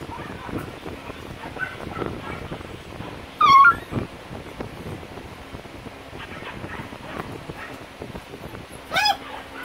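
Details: Corgi puppies learning to play in water in a pool; two sharp, high, quickly wavering yelps stand out, one near the middle and one near the end, over steady splashing and low background noise.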